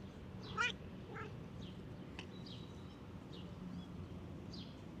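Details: A stray cat that ran up to someone walking in a park, behaving like a dog, gives a loud harmonic meow and then a shorter second one. High chirping birdsong and soft outdoor background noise continue around it.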